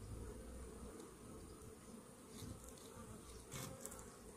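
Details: Low, continuous colony hum from honey bees in a hive treated against Varroa mites, with a few brief rustling or scraping sounds near the end.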